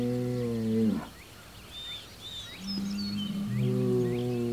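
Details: Hereford bull Homebrew faces a neighboring Hereford and an Angus bull less than 100 yards away, June 17, 2023. A deep bellow ends abruptly, then after a quiet gap two more low, rising bellows follow. Birdsong is faint overhead.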